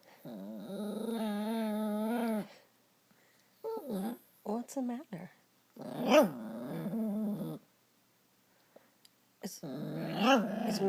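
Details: Female dog upset after another dog took her chew toy, letting out drawn-out, wavering groaning growls in several bursts separated by pauses, indoors in a small room with a person's voice talking to her.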